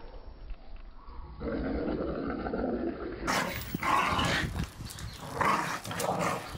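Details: Playful Staffordshire Bull Terriers tearing apart a ball gifted for Christmas in the garden; a quieter opening gives way to loud, gruff growls and snarls in irregular surges, with scrabbling and chewing noises.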